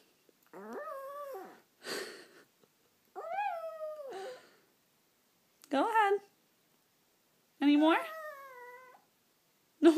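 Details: Pet chihuahua singing along, several drawn-out whining howls of one to two seconds each, some rising and bending downward, separated by silences, with a person's voice talking between them indoors.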